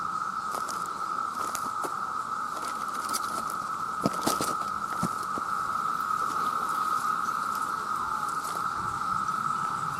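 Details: Massed male cicadas calling for mates, producing a constant loud shrill drone at a single pitch, overlaid by scattered crackling clicks and patter-like taps.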